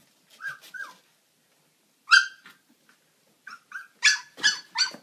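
Siberian husky puppies give short, high, yelping whines and squeaky barks in scattered bursts.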